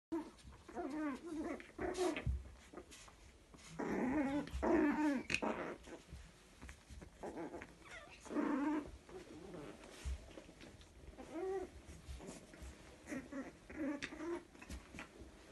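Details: Chihuahua puppies from one litter, two males and one female, toy size, playing indoors; rough growls and snarling bursts come in clusters, with louder scuffles around four and eight seconds and quieter grumbles between.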